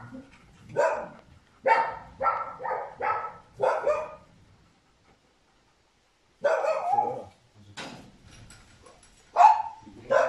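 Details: Trained Cane Corso at ALFIPI, with its owner on their second day of adaptation, right after finishing basic obedience training; five quick, harsh barks in about three seconds, a silent pause, then another run of scattered barks.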